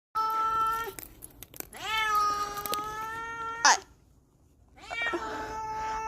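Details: Stray cat in a snowstorm screaming for food: loud, drawn-out, rising meows, three long cries with a short sharp sound between them, over a rushing windy background.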